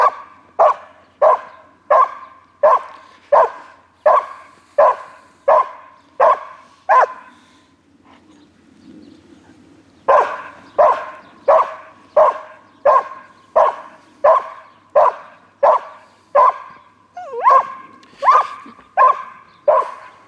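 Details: A foxhound barks in long, even runs, about ten sharp barks at a steady beat, then a pause of a few seconds with a low murmur before another regular run of barks resumes.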